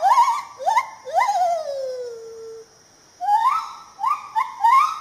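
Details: Lar gibbon of Malaysia: short upward-sweeping hoots, then one long note gliding slowly downward and fading, a pause, and a new burst of rapid rising whoops.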